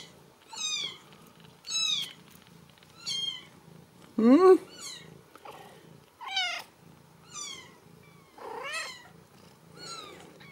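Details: Several Ragdoll kittens at a Kansas home cattery give piercing, downward-sliding mews about every second, with one louder, lower, rising cry near the middle, while a soft low hum runs underneath.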